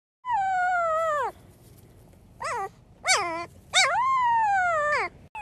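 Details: A Siberian Husky puppy howling for the first time gives a series of high, wavering howls that slide downward at the end.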